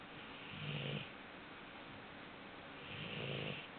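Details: Four-month-old Labrador Retriever puppy asleep, snoring in two slow, rasping breaths about two and a half seconds apart, each a low droning snore with a breathy hiss above, quiet room between.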